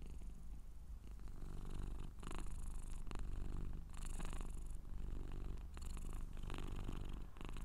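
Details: Low continuous purring from a Scottish Straight cat, partly masked by repeated bursts of brushing or handling noise that come and go every second or two.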